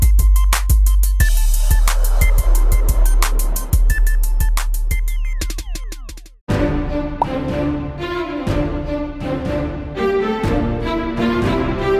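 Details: Electronic music with drum machine beats and deep bass runs, breaking briefly before a denser section, with no animal sounds.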